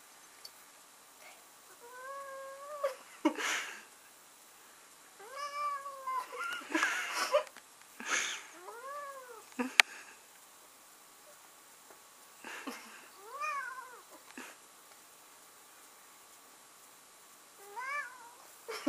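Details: Male house cat protesting an attempt to kiss him while held indoors utters about seven whiny meows that rise then fall, spaced one to three seconds apart. Several are rough and strained, with rustling and a sharp click between calls.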